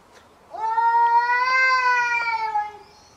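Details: Stray street cat during a fight, giving one long, drawn-out tonal yowl lasting over two seconds, rising slightly then falling away, with rich harmonics and a quiet background.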